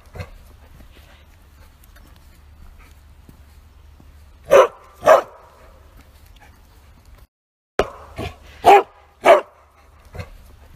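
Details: ['A Bearded Collie barks with full force while walking: a long quiet stretch of low rumble, then a pair of strong barks, a short gap, and four more barks in quick succession, one faint bark at each end.']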